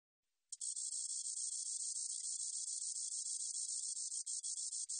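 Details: Spotted meadow katydid. The spotted meadow katydid's song is a thin, high-pitched sizzle made of rapid ticks blurred into a continuous buzz. It starts abruptly and keeps going evenly, with only brief flickers in its texture.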